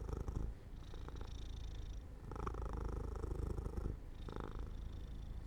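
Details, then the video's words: Domestic cat falling asleep near an open window in sunlight, purring steadily: a low rumbling buzz in pulsing phases with brief softer pauses, quiet indoor room. "Jojo falls asleep near an open window in the sunlight - My Cat Makes Sounds 3"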